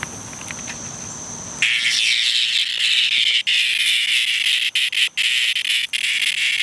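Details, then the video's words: Cicada in distress: after a quiet start with a thin steady high tone, a loud, harsh, raspy buzz bursts in and continues with a few brief breaks near the end. "Cicada in distress"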